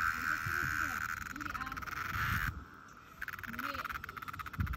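A cicada sings a continuous, finely pulsed buzz on one steady pitch, stopping for a moment before resuming. Low murmuring voices sound underneath the drone.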